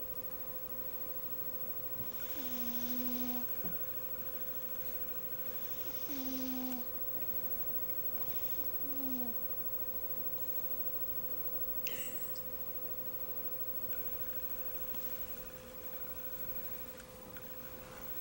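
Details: Galaxy, a pet cat, snoring indoors: three short, low, tonal buzzing snores spaced roughly three to four seconds apart over a steady faint background hum, with a brief higher scrape near the end.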